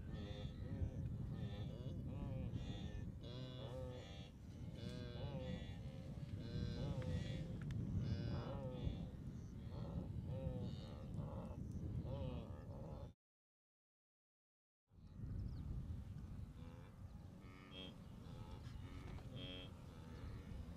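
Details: Huge herd of blue wildebeest on the Great Migration at the Moru Kopjes, western Serengeti, observed 7 April 2012. Dense, overlapping nasal grunts and moaning calls continue throughout, broken by a brief silent gap.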